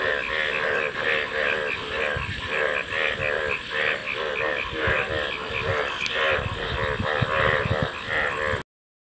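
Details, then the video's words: Massed frogs croaking in quick, gurgling pulses that run together, with a brief sharp tap late on before the calling cuts off abruptly. "Frog Calls | ব্যাঙের ডাক"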